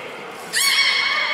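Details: Beluga whale at Port of Nagoya Public Aquarium, Japan, 3 February 2019, during feeding and the play time after. A single sudden, bright, squealing call with stacked harmonics starts halfway through and holds steady to the end.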